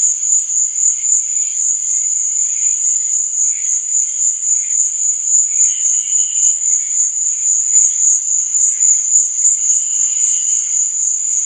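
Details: Crickets chirping at night: a continuous, steady high-pitched trill runs throughout, with softer, lower chirps rising and fading beneath it every few seconds.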